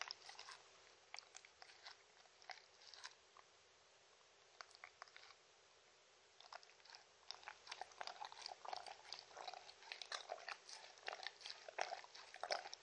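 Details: Shetland Sheepdog named Mindy chewing dog-friendly treats indoors, no speech: bursts of crisp biting and crunching, a near-silent pause of about four seconds, then steadier, louder chewing to the end.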